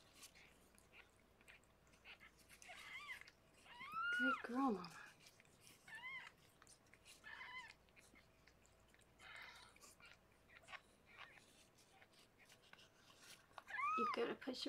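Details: Harlequin, a rescued pregnant foster cat, delivering six kittens indoors; several high arched mews come in small clusters, partly overlapped by soft human voices and whispering, with a last loud mew near the end.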